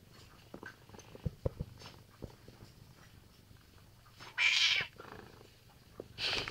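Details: Pet cat in a back-and-forth exchange with its owner over a stolen chair, indoors; light rustling and taps, then a loud drawn-out meow and a second meow starting at the end.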